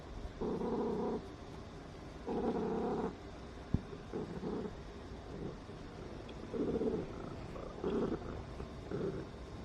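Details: Loud indoor purring from Nuonuo, a Ragdoll cat, as an affectionate reward after checking on her returning owner; throaty pulsed rumble in blocks of roughly one second, some longer, others short and uneven, with one sharp click midway.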